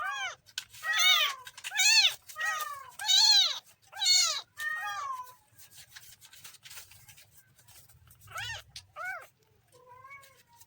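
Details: Kitten meowing in a rapid run of high, arched harmonic cries about once a second, then a pause and a few softer, shorter meows toward the end; quiet indoor setting.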